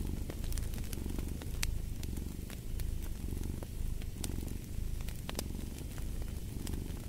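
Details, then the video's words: Rich, throaty cat purr throbbing in regular breathing cycles, loud and close, while a fireplace crackles and pops in the background. "Fall asleep to the Purring of a Cat"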